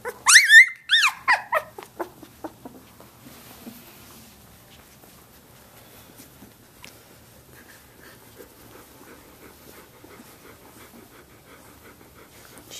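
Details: Samoyed puppies, seventeen days old, playing indoors: a burst of loud, shrill whimpering squeals in the first second, trailing into fainter whines, then near quiet with soft rustling for the rest.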